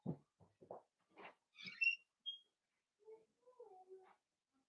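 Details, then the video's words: Blenheim Cavalier King Charles Spaniel puppies, a litter of five born on New Year's, playing with their mother in an indoor puppy pen; short squeaky yelps and high thin whines in scattered bursts, with a few low grunts. "Cavalier Puppies Play with Mama"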